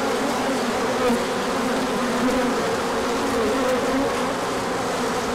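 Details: Crowd of bees out on a sunny orientation flight, 24 March 2024, following a colder stretch; steady buzzing chorus, brief louder whirs as single bees zip close.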